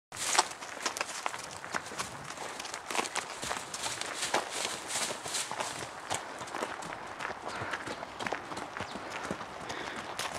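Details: Bambina, a mare running loose and exploring in a forest, her hooves thudding in dense, irregular footfalls across the woodland floor for the whole stretch, with rustling undergrowth behind.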